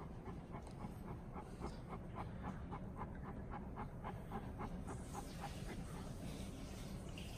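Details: Great Pyrenees Alain, a male born 2014, tired after a shampoo that left him white, pants in quick, steady breaths, roughly four per second, with soft pulsing huffs throughout and faint background talk.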